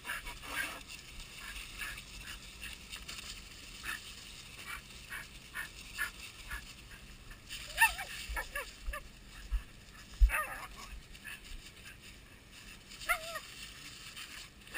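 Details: Border Collies, two dogs, excitedly joining in while a boat is cleaned in July; short high whines and yips rising and falling in clusters, amid splashing and scrubbing noises.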